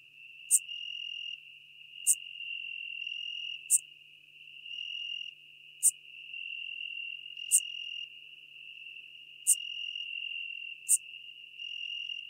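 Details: Eupholidoptera schmidti bush-cricket singing near Venice, Italy, on 2 September 2021, recorded with an ultrasound detector. Short, sharp, high chirps repeat about every one and a half seconds over a steady, thin, high hum.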